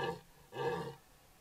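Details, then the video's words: Close-range red deer stag roaring at a trail camera in Parco Nazionale Foreste Casentinesi, Italy: two short, hoarse, low bellows half a second apart, fading into quiet woodland background. "Cervo che bramisce"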